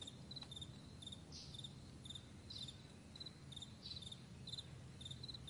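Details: Several crickets chirping on a broad meadow at morning, brief high pulsed notes in clusters with a few louder swelling calls, low rumbling noise running throughout.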